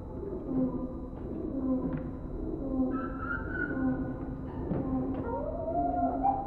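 Indri song: sustained, harmonic wailing tones ending in a rising, swooping glide.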